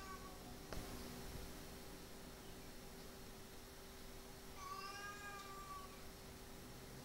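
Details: A pair of cat brothers, recently neutered, in a brief scuffle: a single long, slightly rising and falling harmonic yowl in the second half, preceded by a sharp knock, over constant hum.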